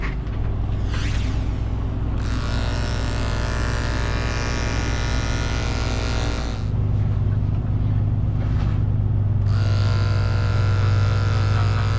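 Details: A steady low mechanical hum runs throughout, broken by long broadband hissing bursts like a blower or clipper starting and stopping, with no animal voice.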